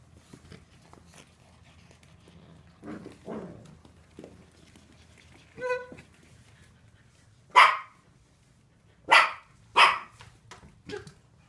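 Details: Seven-week-old Finnish Lapphund puppies at play: a soft whimper and a drawn-out whine near the middle, then three loud, sharp, high barks in quick succession toward the end, with faint scuffling and quiet background hum between calls.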